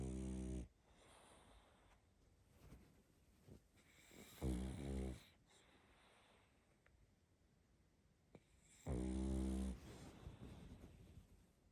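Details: Female pug puppy sound asleep, snoring in three deep, rattling, drawn-out breaths spaced roughly four to five seconds apart, with soft snuffling and quiet breathing between them.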